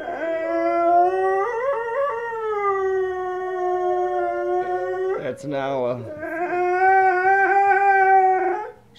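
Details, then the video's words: Presa Canario named Nala, a pet female dog, howling in response to wolf howls on TV; steady drawn-out tonal howls with rich harmonics, a short broken yelping break, then another long wavering howl. "Nala The Presa Canario howling to wolves on the tv"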